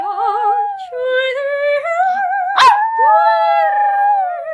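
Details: Female Japanese Chin singing along to an opera aria, "Il bacio" by Arditi, holding long sliding howls with a quavering vibrato that climbs higher, broken by one sharp yelp midway, over the music.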